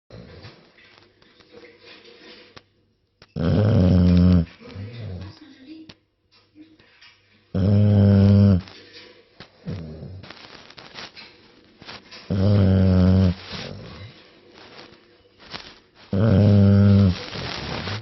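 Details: English Bulldog snoring indoors: deep, rattling, harmonic snores about one second long, returning every four seconds or so, with quieter breathing and soft rustles between them.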